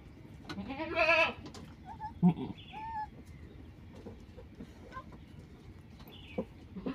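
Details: Mother goat that has just given birth to triplets gives one strong wavering bleat early on, followed by a few short, fainter calls. People talk quietly over a steady low background hum.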